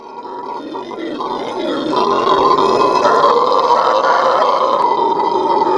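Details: Venezuelan red howler monkeys giving their morning howl at a zoo: a loud, sustained roaring chorus that swells in the first two seconds and then holds steady, rough and throaty with a strong droning tone.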